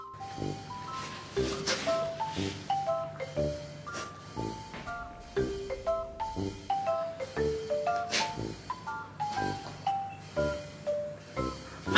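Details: Bright marimba and glockenspiel music plays throughout in a steady, bouncy rhythm, with no animal sounds audible.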